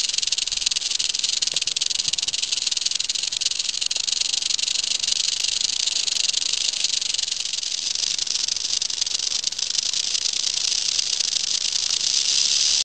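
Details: Western diamondback rattlesnake met during a summer encounter, giving a sustained rattle: an unbroken, high, hissing buzz that keeps an even loudness throughout and grows slightly fuller toward the end.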